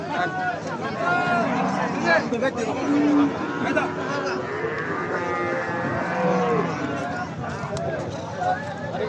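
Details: Cattle at a busy livestock market near Jamalpur-Chowrasta, Gazipur, with brisk buying and selling ahead of Eid al-Adha; low drawn-out moos overlap with constant crowd chatter, human voices and market bustle.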